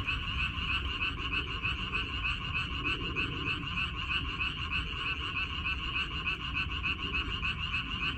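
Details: Dense frog chorus from a water dropwort (minari) field on 14 May 2021, many callers overlapping in a rapid, rattling stream of croaks with no pause, a steady wall of sound.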